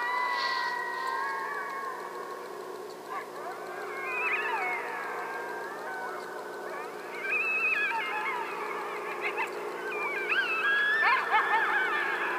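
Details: Coyotes calling across a field during a coyote hunt: wavering, sliding howls and yips rise and fall between high and mid pitch, several voices overlapping into a chorus that grows louder toward the end.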